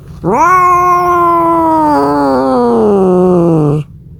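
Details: Cat calling for a mate, giving one drawn-out caterwaul about three and a half seconds long. It swells in abruptly, holds a steady, rich tone with a slight wobble midway, and sinks gradually lower before stopping sharply.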